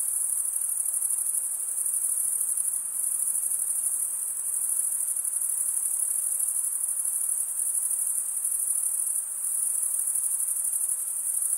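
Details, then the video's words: Male crickets stridulating, rubbing one wing across the toothed vein of the other, produce a steady, high, shimmering trill that never breaks, with faint soft hiss beneath and no other voices. "Most relaxing cricket sound for 8 hours"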